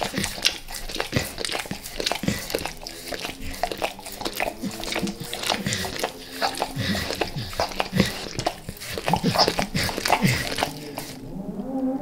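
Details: Max, a dog, licks up natural peanut butter and peanut butter oil inside a small room. A long run of fast, rhythmic wet licks and lip smacks continues steadily, then fades into near quiet at the very end.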